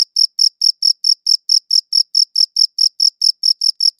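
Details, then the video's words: Cricket chirping against a clean, silent background: short high-pitched pulses with a faint overtone, repeated steadily about four to five times per second, each chirp crisp and evenly spaced. "Cricket Chirping Sounds"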